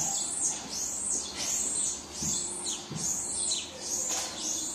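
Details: Baby marmoset crying for its mother: a steady run of high, arching whistled cries, each rising then falling, repeated roughly every three-quarters of a second, with faint low thumps beneath.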